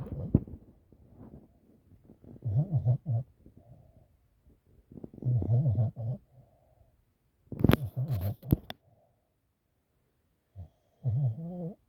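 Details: Sleeping puppy snoring indoors: low, throaty rumbling snores come in short bursts about every two to three seconds, with one sharper broadband rustle near the middle and quiet pauses between breaths.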